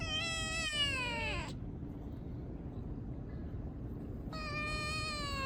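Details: Stray cat brothers: two long, drawn-out meows, the first lasting about a second and a half and sliding slightly downward, then a pause before a second steady meow, over a low rumbling background.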